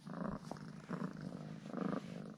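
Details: Cuddly house cat purring after a treat of two ham sausages; the low rumble swells and fades in three clear breathing cycles, each under a second long.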